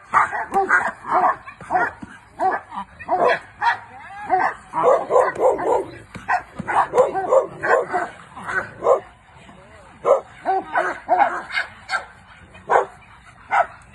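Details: German shepherd mix barking during protection training with a girl, loud sharp barks in quick bursts of two to four, separated by short pauses, with a person's voice in between.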